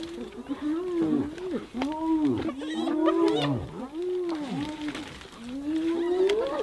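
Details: Hyenas brutally attacking another hyena: an unbroken run of moaning, arching whoops and groans, each swelling then dropping, overlapping one another at a steady loud level.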